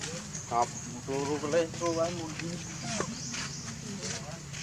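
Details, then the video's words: Young monkey begging its mother for milk, giving a run of wavering, tonal cries in the middle, then a falling squeal near three seconds, against continuous low outdoor noise. "Lovely baby monkey call mom to give him for milk"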